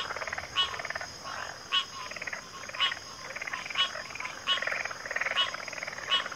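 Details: Several frogs calling together in a backwater, their buzzy, pulsed croaks punctuated by sharp clicking notes roughly once a second, the chorus swelling and dipping against a steady high-pitched hum.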